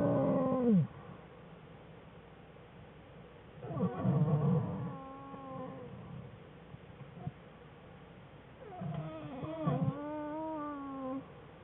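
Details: Playing cubs Fern and Herbie with mother Jewel, American black bears in their den, February 21, 2013: three bursts of crying, an opening falling wail, a rough mid-clip bout and a final rising, wavering cry, separated by quiet.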